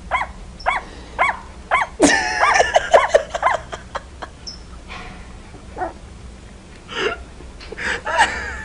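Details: Puppies barking in a home setting: a run of short, sharp, high yips about twice a second, then a louder burst of overlapping barks and yelps, followed by scattered single yips with quiet pauses between.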